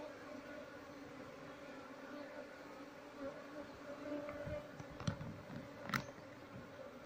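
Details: Asian honey bee (Apis cerana) colony, nested in an active speaker, droning during honey harvest and relocation; no queen or larvae found. Continuous layered buzzing hum, with scattered knocks and clicks from handling in the later seconds.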